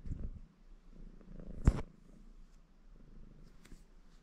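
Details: Baron, a ginger male Maine Coon cat in a contented mood, purrs while washing himself indoors: a low, steady rumbling drone that swells and fades, broken by a sharp click of licking or movement midway.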